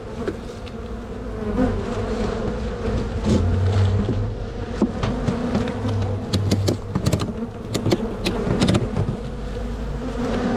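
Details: Spring buzzing of honey bees as a crowded, strong hive is split before it can swarm; a continuous low, even hum with scattered knocks and taps from frame work.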